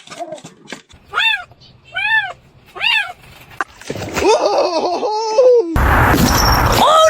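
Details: Pet cat meowing three times in a row, each call arched and drawn out, about one second apart, followed by loud clattering, voices and a burst of noisy commotion.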